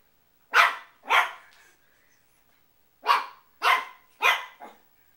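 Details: Shih Tzu indoors barking again at a picture of a shih tzu, five sharp, loud barks in two bursts, a pair then a quick run of three, with short silences between, in a small quiet room.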